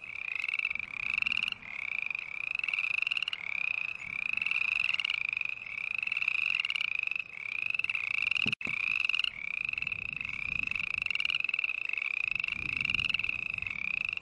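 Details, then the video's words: A steady chorus of green tree frog calls: bright, honking, upward-sliding notes repeat about twice a second with hardly a pause. A brief dropout breaks the sound near the middle, and soft low noise lies beneath. "Sounds of Green Tree Frog Call"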